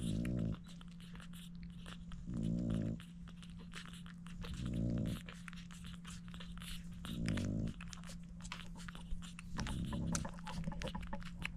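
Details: Dooney the French Bulldog feeding her seven puppies; short, low moaning grunts come in five separate bursts roughly every two and a half seconds, over soft clicks and smacking noises and a constant low hum.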